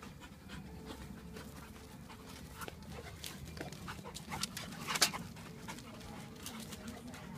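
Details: Young Labrador, one year old, playing rough with a Japanese Akita in a garden, heard as quick, airy pants and scuffling huffs, with a sharper louder burst near the fifth second over a low constant hum.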